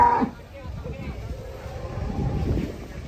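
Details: Huge cow rampaging as it comes down from a truck: a low, muffled moo swells in the second half under steady rumbling background noise, with a brief voice at the start.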